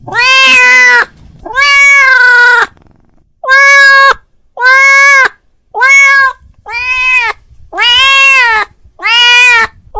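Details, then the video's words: Domestic cat calling his friend: eight insistent meows in about ten seconds, loud and tonal, each held about half a second to a second, with brief silent gaps between. "The sound of a cat calling his friend"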